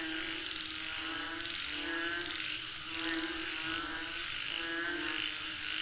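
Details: Frogs in Thailand calling for rain: a dense, overlapping chorus of rapid pulsed croaks, steady and unbroken, under a constant high, thin insect whine.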